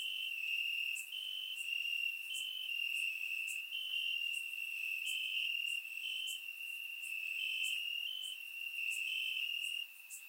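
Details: Bulgarian summer night with crickets in the grass, recorded in surround sound: continuous high-pitched trilling chorus, sharp upper ticks recurring through the clip, and a small drop in volume near the end.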